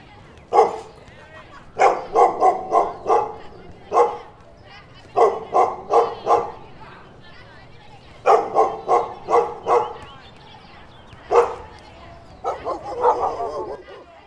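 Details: Repeated volleys of dog barks, quick bursts of three to five rough, mid-pitched woofs with gaps between groups, continuing steadily, a faster yapping run near the end.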